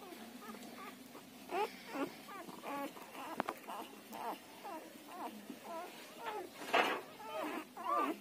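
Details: Newborn Siberian Husky puppies, between one and ten days old, giving a run of high, wavering squeaks and whines, several overlapping voices with bent, rising and falling notes, a louder yelp near the end.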